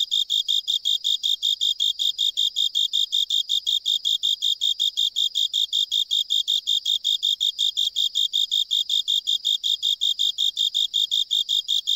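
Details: Japanese burrowing cricket, filmed singing in an island drainage pipe, normally hidden in soil and rock gaps. Uninterrupted series of shrill, evenly spaced chirps, roughly four per second, sounds over a silent background.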